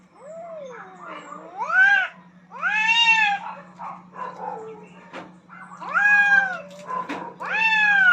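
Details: Rooftop standoff between two aggressive cats fighting for dominance: loud, wavering wails that swoop up and down, rich and nasal, delivered in long bouts with short pauses between, the last one climbing steadily.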